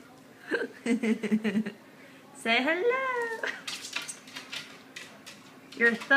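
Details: A Cavalier King Charles Spaniel, being offered cheese, gives a drawn-out, rising-then-falling whining yowl between bursts of human speech.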